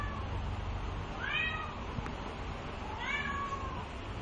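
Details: Two-month-old Bengal kittens, males of brown marbled and soft lilac coats, kept by a cattery. Two clear, drawn-out meows, each bending up then down, about two seconds apart, over a steady low indoor hum.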